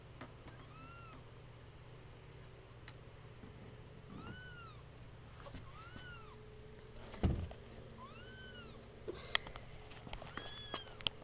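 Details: Kittens two weeks old crying in a room, short high arched mews spaced irregularly a second or two apart, with a few clicks and bumps of handling and a constant low background hum.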